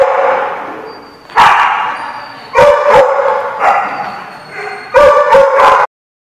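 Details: Several dogs barking in a dog lot in June, bursts of sharp, ringing barks overlapping, with a few yips, pausing briefly between volleys and ending abruptly.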